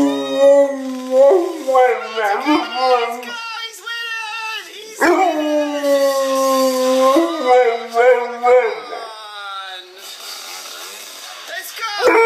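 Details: Bullmastiff dog racing after a dirt bike and howling excitedly: drawn-out wavering howls mixed with short yips, rising and falling in pitch, several in quick succession, with a person speaking over them.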